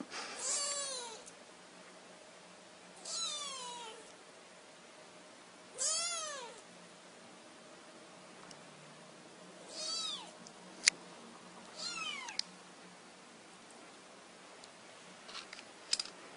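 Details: Freshly awakened kitten mewing repeatedly, thin high arched meows every two to three seconds, about six calls, some softer, with a few faint clicks in the background.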